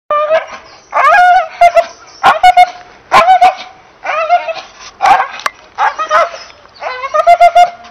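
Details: English Bull Terrier giving drawn-out, whiny, tonal barks in bursts of about half a second, each with a clear harmonic ring, repeated roughly once a second with short sharp clicks between.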